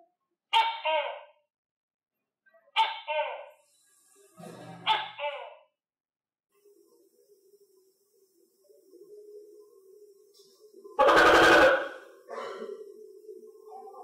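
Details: Captive tokay gecko, kept and fed crickets, giving three short harsh harmonic barks about two seconds apart, then a faint low hum and one loud broadband burst near the end.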